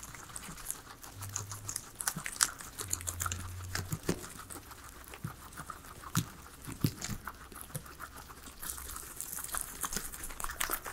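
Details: Indoors, three pet guinea pigs munch their salad of vegetables; crisp bites and crunching come in quick irregular bursts over a low background hum, with occasional louder snaps of leaves.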